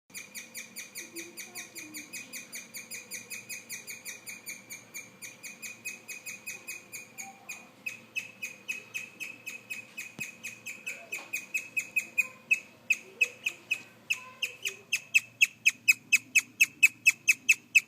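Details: A young male guinea pig, hidden under a stool and recently paired with an older boar (owner suspects a bid to be boss), chirps in a long, steady string of high, bird-like notes growing louder toward the end.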